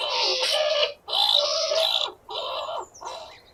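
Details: Skunk squeal in 8D-processed audio; four rough, buzzy squealing bursts, each near a second long with short breaks, harsh and broadband, with faint thin squeaks at the end.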